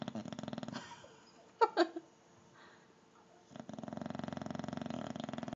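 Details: Loud, buzzy snoring from Kong, a bulldog asleep in a clothes basket rather than a dog bed, fluttering in fast regular pulses at the start and again at the end, with a few brief voiced sounds and a quiet pause between.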